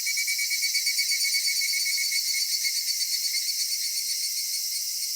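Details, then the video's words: Summer-evening cicada chorus in a Japanese cedar grove. A bright, continuous high-pitched hiss with a faint pulsing swell in loudness during the first seconds, then a steady drone. "夏夕暮れ杉林 セミの鳴き声"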